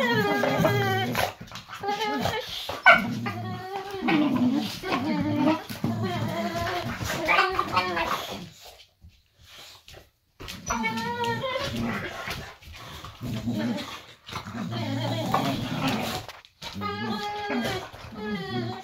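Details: Pet boxer dog indoors, one of two, vocalising beside its owner in an armchair after a day of hauling firewood: long, wavering, voice-like whines and moans with shifting pitch, in bursts separated by a brief pause.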